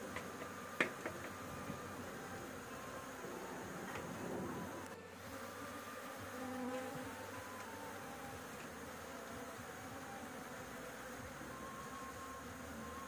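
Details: A roof-dwelling bee colony during a honey harvest. The humming drone fills the background, with sharp clicks and taps early on, a soft swell near the middle and a steady buzz afterwards.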